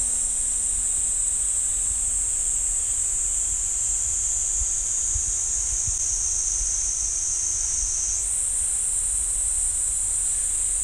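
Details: At Ssanggyesa temple's pine forest in Jirisan National Park, a cicada chorus holds one even, high-pitched sizzle, then shifts abruptly higher after eight seconds. A faint low hum sits underneath early on.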